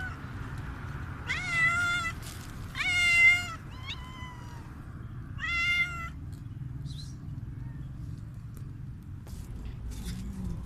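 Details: Hungry street cat meowing loudly: four drawn-out, wavering, harmonic-rich meows in the first six seconds, each about half a second long, then near silence with a steady low background hum.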